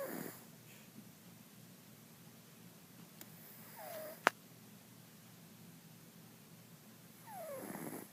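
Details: Jiggy, a pet cat named Mr. Jigilo, snores in his sleep indoors; soft whistling inhales slide downward every three to four seconds, with one sharp click partway through.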